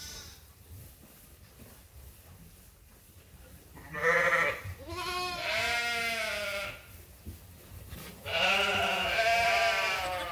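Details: Sheep at Ewetopia Farms waiting for their feed during daily chores in lambing season: a quiet start, then several loud, wavering bleats with rich harmonics from about four seconds on, overlapping one another.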